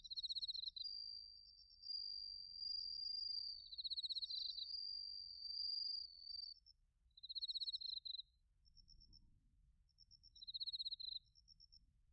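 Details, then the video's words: High insect song of bell crickets and crickets in autumn, Narita, Chiba, Japan, made with a TASCAM Portacapture X8: clear ringing tones and rapid pulsed chirps repeat in bursts every couple of seconds over faint low noise. "秋の音 スズムシとコオロギの鳴き声"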